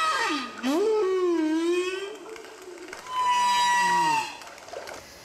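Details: Humpback whale recorded by hydrophones placed around Martinique and played to school pupils: a rich harmonic moan dips, rises and wavers, then a steady higher whistled tone with a lower falling note beneath it.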